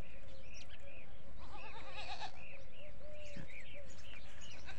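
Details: Desi goat on a farm holding many goats, letting out one quavering, vibrato-laden bleat lasting under a second, surrounded by repeated short, arched chirps from birds and a constant low hum.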